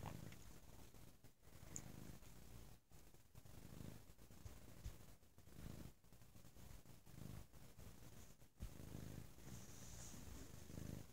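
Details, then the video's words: Domestic cat named Bo on a lazy Sunday, purring very loudly indoors: continuous low rumbling purr with pulsing bursts roughly every one to two seconds, brief quiet gaps between breaths, faint high hiss in background. "Lazy Sunday With a Very Loud Purring Bo"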